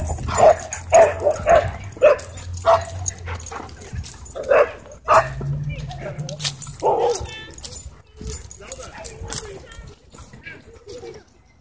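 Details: Dogs racing on a wild chase through a dog park, giving a run of sharp, harmonic barks roughly twice a second for the first few seconds, then quieter yips mixed with human voices and outdoor background noise.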